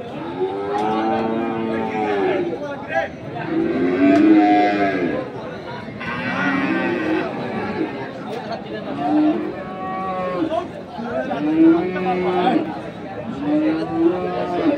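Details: Crossbred bulls suited to farming, offered for sale at Ambari cattle market in Parbatipur, Dinajpur, Bangladesh, on 2 January 2024: deep drawn-out moos repeated about every two to three seconds, over steady crowd chatter and bargaining voices.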